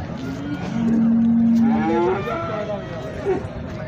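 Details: Holstein Friesian cattle at a cow market in Sangola, India; one low, steady moo holds for about a second before bending upward and fading, with people talking over background market noise.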